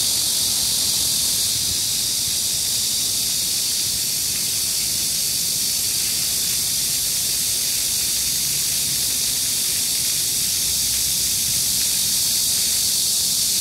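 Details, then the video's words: Midsummer cicada chorus recorded July 14, 2022 in Gayang-dong culture park, Gangseo-gu, Seoul, Korea, at 31°C with 65% humidity and 4 m/s wind near a fountain; shrill sizzling wall of sound with faint rapid pulsing, never pausing. "The sound of cicadas on a midsummer day and a cool fountain(한여름날의 매미소리와 시원한 분수)"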